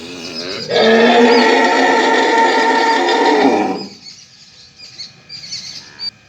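A mother cow gives one loud, long, strained moo, calling her calf to feed.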